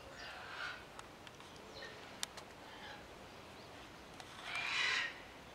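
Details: Captive ring-tailed lemurs on Lemur Island, Opole Zoo, Poland: soft scattered clicks and a faint early call, then one louder rasping, wailing burst near the end.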